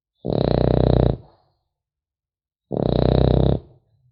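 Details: Sleeping French Bulldog puppy giving two long, throaty snores about two and a half seconds apart, each a rattling low buzz lasting nearly a second in a quiet room.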